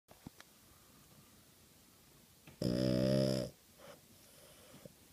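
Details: A sleeping Boston Terrier gives a single loud, buzzy, rasping snore that swells and fades over about a second, amid faint clicks, soft breathing and quiet room sounds.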